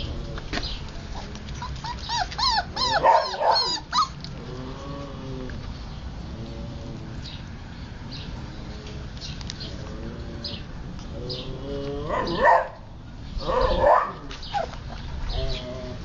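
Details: Playing, eating Siberian Husky puppies: bursts of high yips and whines early on, a stretch of softer whimpering and low rumbling, then two loud squealing yelps near the end.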